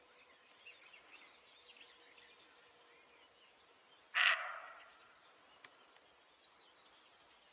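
A roe deer gives a single harsh, hoarse bark against faint birdsong.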